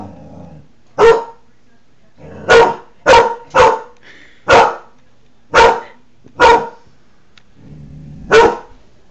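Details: Newfoundland dog barking indoors, apparently at his reflection in a window, protecting his territory, July 2009: eight loud, harmonically rich barks spaced irregularly about one to two seconds apart, with faint low background noise.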